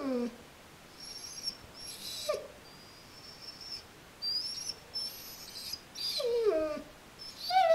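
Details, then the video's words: Border Collie that doesn't like its Christmas present: high, thin whines and squeals, some sliding downward around 6 seconds, in short bursts with quiet gaps between them. "Border Collie doesn't like its Christmas present"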